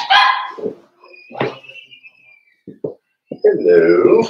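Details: Five-week-old Cavalier King Charles Spaniel puppies of Daisy's litter in their indoor puppy pen give loud, high, harmonic yelps and drawn-out whines, with a thin sustained whistle-like tone and a few short sharp barks, some talking mixed in.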